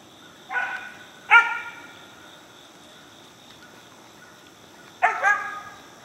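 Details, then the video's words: Four-month-old Mountain Cur pup treeing a squirrel in Alabama, giving short loud bursts of bark-like cries, two close together near the start and a double bark near the end, with a steady background hum between. "Mountain Cur Pup Treeing Squirrel"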